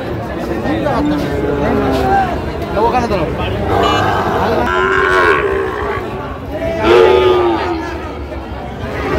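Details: Sahiwal bull at a busy cattle market, bought for a Fulbari farmer, 27/6/25: repeated deep, drawn-out moos with rising and falling tones, several close together, over crowd chatter and bargaining voices.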